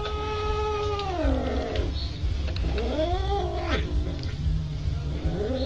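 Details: Domestic cat giving loud, drawn-out yowls: about three long wavering wails that slide downward and then rise again, each lasting roughly a second, over a steady low hum in the background.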